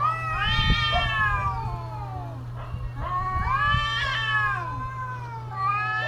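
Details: Cats calling in the mating season with wavering, moaning yowls that rise and fall, overlapping cries in close sequence, low thuds and a constant hum beneath.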